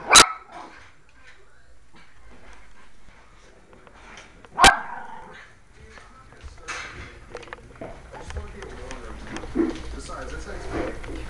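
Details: A puppy and a little dog play-fighting. Two sharp, loud yapping barks burst out near the start and around the middle. Looser growling, panting and scuffling noises follow in the second half.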